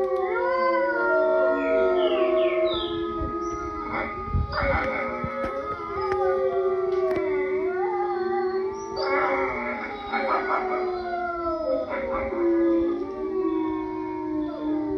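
Several wolves howl together, long sustained tones overlapping and sliding in pitch.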